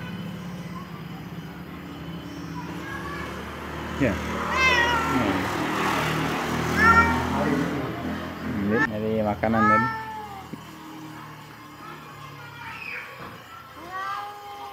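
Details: Domestic cat meowing near its food, several short rising-then-falling meows late in the stretch, partly overlapped by a person speaking and some background traffic-like hum.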